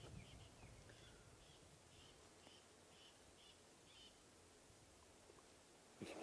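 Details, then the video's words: A squirrel gives a faint alarm call, a string of short, high chips about twice a second, on a sunrise drive in African bush as lionesses move into hunting mode nearby. "You can hear a squirrel."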